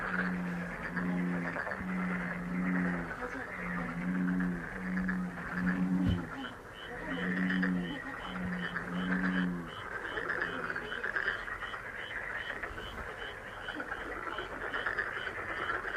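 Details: Frog billed as a lucky frog for relaxing, healing listening: low, tonal croaks in quick runs of short, buzzy notes through the first ten seconds over a steady, hissing background chorus, then only the chorus remains.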